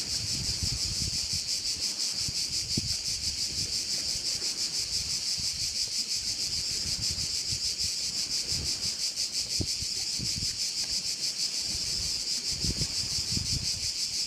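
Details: Steady high-pitched cricket chorus on Korčula, Croatia, beside one of the island's bays; rapid rhythmic throbbing keeps going throughout, while soft low wind buffets come and go.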